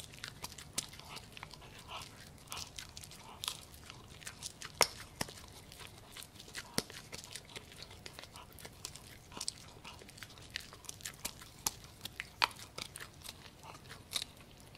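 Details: Gureum, a Pomsky (Husky and Pomeranian cross) born 7 December 2018, eating pork. Sharp irregular crunches and bites, some loud snaps, with soft wet chewing between them in a quiet room.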